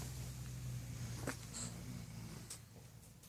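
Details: Freddy, a French Bulldog, snores while sleeping indoors: a low, rumbling drone with steady layered tones that fade near the end, plus a few faint clicks.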